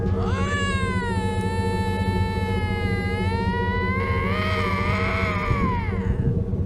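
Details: A pair of Canada lynx, at first calm, give an unsettling drawn-out scream that keeps getting worse: a long, harmonic-rich wail held steady, then wavering and rising before fading, over a constant low hum and faint music.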